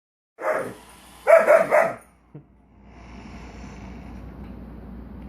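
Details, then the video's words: German Shepherd barking at a Roomba robot vacuum indoors: one bark, then a quick burst of three rough barks, followed by the machine's whirring hum and a short thud. "German Shepherd vs Roomba"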